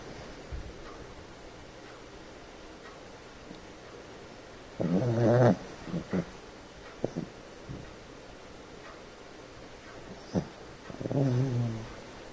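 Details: Pepper, a female pet dog, snoring in her sleep, often after tiring herself out playing with two other dogs; two loud, wavering, tonal snores about six seconds apart, with faint snuffly breaths between them, indoors.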